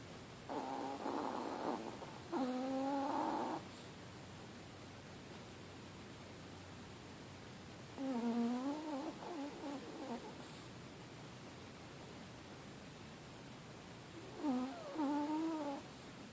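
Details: Kola, a little female Chihuahua, snores while sound asleep indoors; short whistling, wavering nasal tones come in bursts of one to two seconds with quiet gaps between breaths, over a faint steady hiss.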